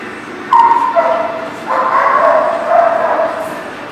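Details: Dog recorded on April 27, 2018, giving a high, tonal yelp followed by a longer run of whining, yipping barks that waver in pitch, over steady background noise.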